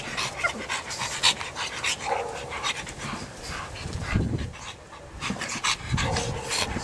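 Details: Pug breathing in quick, hissing pants with short pauses, with occasional low snuffling puffs and a faint whine now and then.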